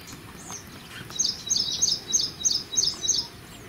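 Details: Indian palm squirrel, busy eating pomegranate, starts a regular string of seven sharp, high-pitched chirps spaced about a third of a second apart after a quiet opening.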